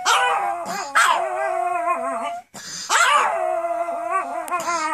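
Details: Pomeranians, several females kept as pets, in a howling frenzy set off by their owner howling: sustained wavering howls with overlapping voices, each starting with a sharp yelp then sliding down and holding, two long bursts separated by a brief pause.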